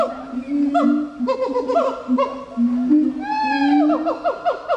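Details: Gibbon giving a jumble of sustained hoots and short swooping notes, overlapping and uneven, closing with a run of quick descending whoops.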